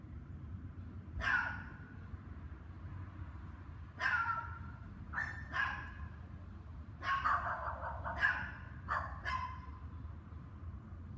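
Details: Dogs barking on the evening of May 24, 2019, from 7 PM, during two hours of barking. Sharp, mid-pitched barks come singly and in quick pairs at irregular gaps over a steady low rumble of background noise.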